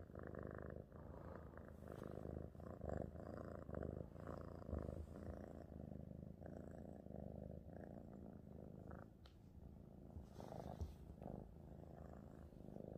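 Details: Cat; purr; contentment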